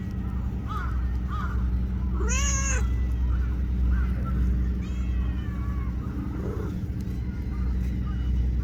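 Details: Tiny black-and-brown tortoiseshell street cat at a Japanese park or port, petted while it sits close by, lets out one clear, arching meow amid soft chirping calls and constant low outdoor rumble.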